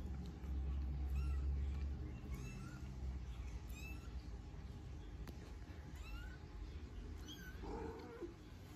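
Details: Norwegian Forest Cat kittens, three of them, with their mother Sophie; thin, high mews that rise and fall, scattered through a steady low hum, with a lower, fuller cry near the end.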